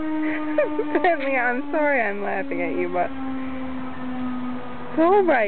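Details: Benny, a pet basset hound who has only recently learned to howl, answers the fire department siren with wavering, rising and falling harmonic howls over a steady droning tone; a brief final howl comes near the end.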